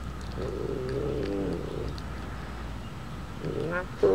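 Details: A two-month-old female Golden Bengal tiger cub shelters from the warm summer heat in a shady hole in the sand and calls for attention. She gives a low, throaty moan, then after a pause a shorter, sharper cry that is cut off at the end.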